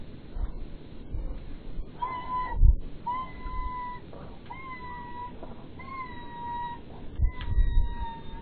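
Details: A Podenco dog whines in a string of thin, high, drawn-out cries, each about a second long, while visiting the grave of its dead canine companion.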